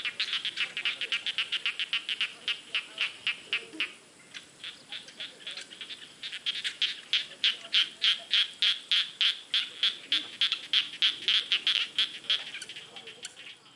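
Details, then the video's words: Chorus of frogs in a rice field: fast trains of high, rattling clicks repeated several times a second, pausing briefly in the middle before resuming louder and denser. "SUARA KATAK DI SAWAH"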